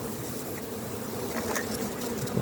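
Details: A honey bee drone "sings" with a low, steady hum over the busy drone of a crowded, strong colony at an apiary on a very hot 30 June, during a check of honey supers before harvest.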